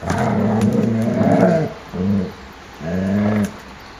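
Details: Young dogs at play in a kennel yard on 30 January 2013, a warm 14 °C day; deep rumbling growls, one long stretch followed by two shorter harmonic growls about a second apart.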